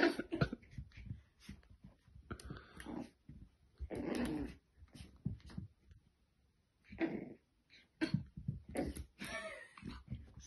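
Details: Female French Bulldog puppy indoors, playing with a mirror and seeing her reflection for the first time. Short throaty growls and snuffling grunts come in bursts separated by quiet pauses, with a few higher whiny yelps near the end.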